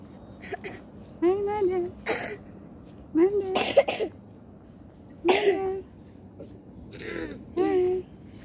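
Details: Street cat meowing in four drawn-out, slightly rising then falling meows about two seconds apart, between bursts of a person's soft calling and throat-clearing noises.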